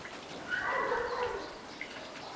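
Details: One of three eight-week-old kittens living on a finca, recorded on 11 May 2011, gives a single drawn-out, slightly wavering meow lasting about a second over a steady low hiss.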